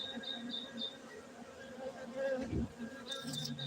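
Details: Honey bees at a beekeeping centre in Bener Meriah, Gayo, Aceh, Indonesia: a steady low droning hum throughout, with a few short high chirps near the start and end.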